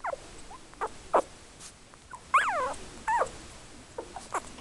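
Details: Three-week-old Yorkshire Terrier puppies, born 24 October 2014 to Tinker and Louie, give short high whimpers and one louder wavering, harmonic-rich whine that rises then falls, with small squeaks between in a quiet room.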